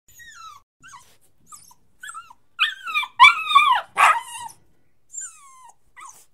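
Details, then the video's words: Puppy crying and whining: thin high whines sliding down in pitch, some short and faint, then a louder cluster of wavering cries near the middle, followed by softer whimpers. "Puppy Crying"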